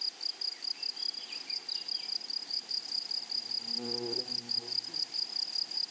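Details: Grasshoppers singing in a flowery meadow: rapid, high, ringing pulses repeated steadily, while a brief lower harmonic sound, possibly a distant bird or voice, rises and fades midway.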